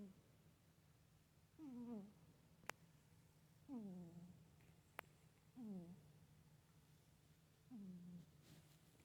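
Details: Cat humming while asleep: four clear, downward-sliding nasal hums with overtones, spaced about two seconds apart, two sharp clicks between them, over a constant low household hum.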